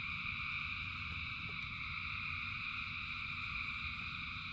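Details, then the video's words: Thousands of frogs singing in the rain: a dense, unbroken chorus of layered high trilling tones holds steady throughout, over a low rumble of rainfall with scattered sharp drip taps. "Frogs in Rain 2 Hours of Frogs, Thousands of Frogs Singing"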